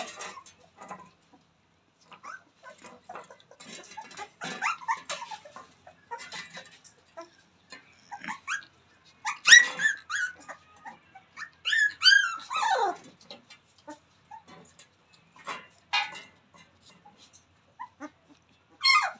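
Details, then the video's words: Newborn Rottweiler puppies playing, giving repeated high, falling and rising squeaky whimpers and yips in loose bursts, louder clusters near the middle and end, with light rustling throughout. "Newborn babies playing"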